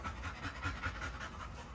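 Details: Great Dane panting in fast, even breathy bursts, roughly five per second, each a soft airy rush spread over the mid and upper range, with a low steady hum underneath.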